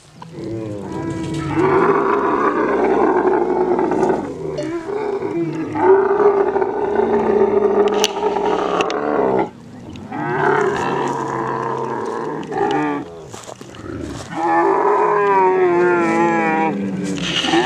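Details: Swimming Kharai camel of coastal Kutch, Gujarat, in mating season: repeated long harsh roars with wavering, bubbling gurgles, separated by short pauses and low grunting rumbles.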